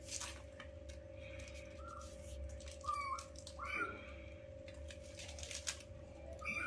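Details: Five newborn kittens at play with their mother, meeting her for the first time; short high-pitched mews, some bending upward, sound in a loose cluster midway through against a constant low hum and soft rustling.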